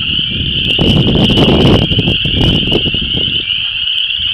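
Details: A dense spring frog chorus of Chorus Frogs, Spring Peepers and Wood Frogs at a disturbed ephemeral depression in Vermilion County, Illinois: a steady high-pitched ringing trill of many overlapping callers through wind noise.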